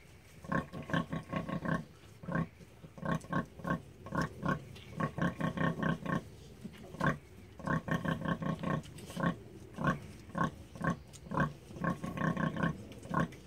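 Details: Rosie, a Hereford sow, with her piglets on June 1, 2016, singing to them at feeding time: low, harmonic-rich grunts in rapid rhythmic bursts, short pauses between runs, repeated steadily across the clip.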